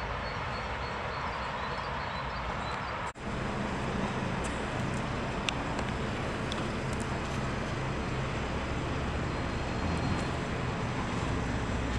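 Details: Continuous road traffic noise near a hospital in Prague-Krč, with a few faint clicks and knocks and no animal sound.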